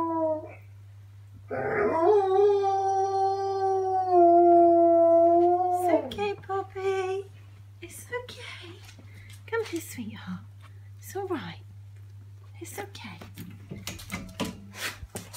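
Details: A German Shepherd howls at an ice cream truck, giving a long, steady, mournful howl, followed by people talking.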